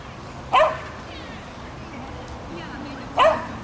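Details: Female Swedish Vallhund that has trained in agility for two months, heard during an agility run: two short, sharp barks about two and a half seconds apart, with quiet background and faint voices between.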